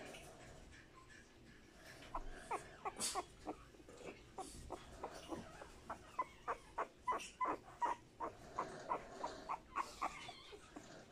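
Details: Boston Terrier male puppy born 12 March 2020, offered for sale, giving a long run of short, sharp yips or whimpers, about three per second, starting after two quiet seconds and continuing unevenly to the end against a quiet indoor background.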